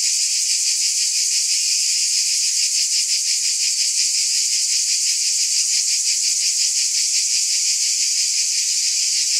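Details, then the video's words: Cicadas produce an uninterrupted shrill buzz, high and noisy, with soft throbbing beats about three per second and a level intensity; no other sounds. "Scintillating Cicadas 1 hour White Noise"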